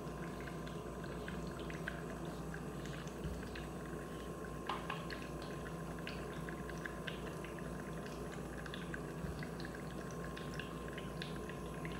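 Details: Indoor room tone with a steady low hum and soft pouring, dripping water sounds, plus faint clicks; no animal voice is heard.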